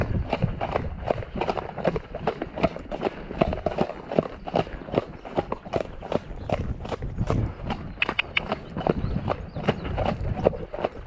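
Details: Shire horse De Goot Damon of Ostsee Shires on a 2 May outing to fetch a new boarder from Falkendorf, with rain early on. Steady clip-clop hoofbeats, about 78 per minute, ring out as sharp, even knocks.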